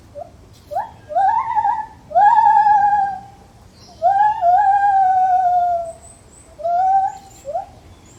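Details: Lar gibbon calling in a zoo: loud, clear hooting notes that swoop upward and then draw out into long, slightly falling wails, in several bursts about a second apart, with faint background hiss.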